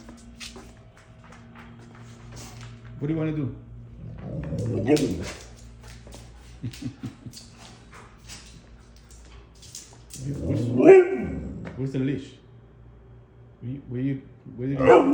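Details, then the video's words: Pet husky at home indoors, making noises and acting excited: drawn-out rising and falling howl-like vocal calls with harmonics around 3, 5, 11 and 14 seconds, mixed with a woman talking to the dog in a small room. "Polar Making noises and been crazy!"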